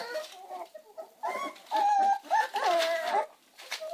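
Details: Puppies of the American Staffordshire Terrier breed produce a run of nasal, wavering whines, the middle ones long and steady before tapering off, in a small indoor space.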